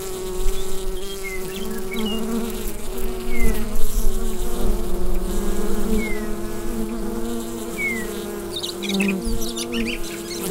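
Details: Bee hive hum recorded on a Rode NT-USB microphone: a continuous deep buzzing drone with gentle pulses in loudness, while several short, falling bird chirps sound faintly in the background.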